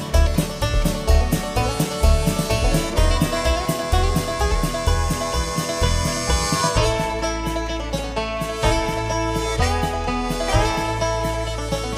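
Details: Upbeat plucked-string music in a country or bluegrass style plays with a steady beat throughout, and no dog voice comes through.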